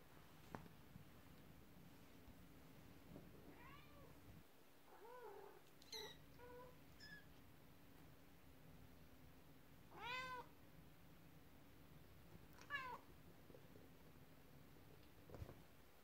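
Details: Cats at home, the mother cat upset while kittens play with a horse-drawn carriage toy; scattered short, upward-curving meows, some paired, with a low hum and light clicks between calls.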